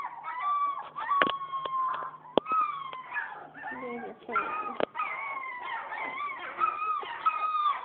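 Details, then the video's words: Newborn German Shepherd puppies, a litter about two weeks old, keep up drawn-out whining cries that slide downward and overlap, broken by short squeaks and a few sharp clicks. "German Shepherd Puppies"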